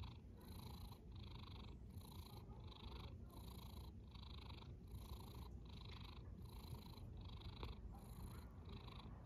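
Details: A cat snoring while asleep: steady, rhythmic breathy bursts repeating about every half second over a low, continuous rumble, with no other sounds intruding.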